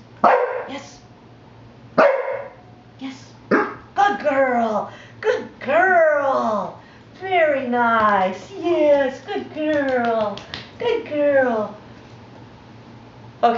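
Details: A female dog, trained to bring a phone on the "911" command and bark so an operator would know it is a distress call, gives sharp, hoarse barks amid a trainer's voice.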